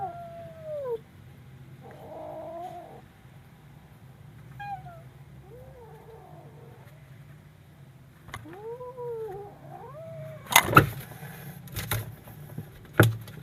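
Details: Scared kitten uttering short, downward-curving mews and a whining, wavering cry, separated by quiet pauses, followed near the end by several sharp loud knocks and clattering thumps.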